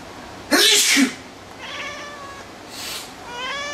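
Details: Domestic cat answering a person's sneeze: a sharp sneeze opens, then the cat gives a drawn-out falling meow and a second rising, strongly harmonic meow at the end.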